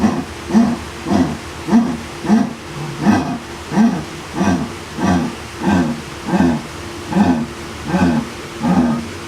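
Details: A jaguar gives its sawing call, a long run of deep, hoarse grunts evenly spaced about every half second.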